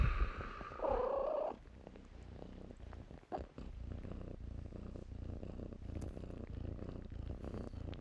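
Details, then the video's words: Kittens at play in blankets: a soft purr hums beneath rustling, with a brief thin mew-like tone near the start and scattered fabric clicks. "kittens play in blankets"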